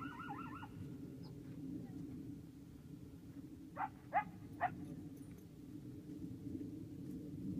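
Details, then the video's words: At night at Telephone Cove, Nevada, a coyote gives a brief wavering, warbling howl, then three sharp yips a moment later. "Coyotes Howling in the Night"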